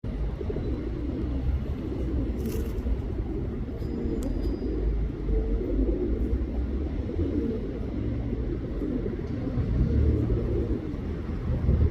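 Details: A steady low rumble like passing traffic fills the recording, with a brief tap or click now and then and no clear animal voice.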